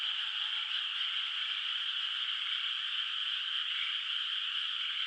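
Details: Countryside rice field at night under the moon, water still bare of rice, where distant frogs call; a steady, dense trilling chorus holds at one level throughout.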